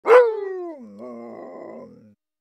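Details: Siberian Husky barking: one loud, sharp bark that slides down in pitch, followed by a lower, rough, drawn-out grumbling vocalization lasting about a second before trailing off into silence; no other sounds.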